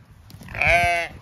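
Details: Zwartbles ewe on a regenerative farm in County Kilkenny, Ireland, bleating as she is reunited with her newborn twin lambs; a single loud, harmonic, slightly wavering bleat about half a second long, with a woman speaking softly before it.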